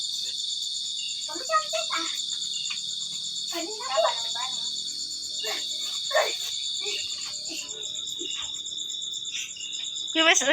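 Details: Cricket trilling: a continuous high, pulsing trill running throughout, while children and an adult talk and play close by, with a louder burst of voices at the end.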